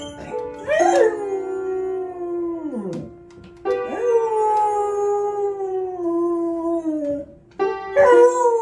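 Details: Beagle named Buddy Mercury singing his heart out with an 'aroo': three long, wavering howls, each rising sharply then held and sliding slowly downward, separated by short breaks, over a background of music.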